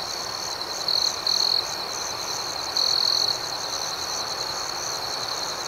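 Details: Crickets at night: two loud, pure trilled chirps, the first split into short bursts near one second and a longer one near three seconds, over a steady background chorus of pulsing higher-pitched insect chirps.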